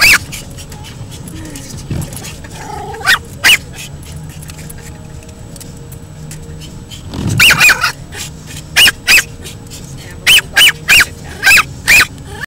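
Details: Lexi the 10-month-old Pomeranian, upset by moving windshield wipers, lets out scattered high yips, first a few isolated barks over a low rumbling background, then a quicker run of sharp yaps toward the end.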